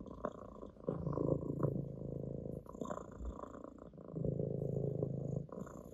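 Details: Ginger, an orange tabby domestic cat, purring while lying on a lap indoors; a low, rumbling, pulsing purr swells in long phrases with each breath, softer pauses between, faint rustling now and then.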